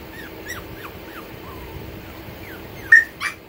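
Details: Brussels Griffon male puppies offered for sale in Texas whimper in a run of thin, high, downward-sliding whines, about three per second. A sharper squeak and a brief broadband knock close the sequence.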